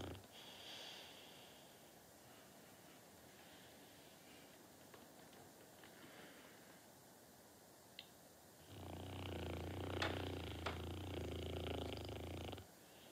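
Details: Norton, a dog in a sweet deep sleep: faint, soft breathing for about eight seconds, then a loud, low, rumbling snore with rich layered tones lasting around four seconds, broken by a couple of small clicks.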